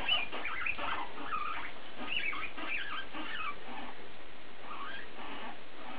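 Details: Pet guinea pigs in a vocal exchange, one animal mostly calling: scattered squeaks and higher whistled chirps mixed with softer chatter, busier at the start and quieter later.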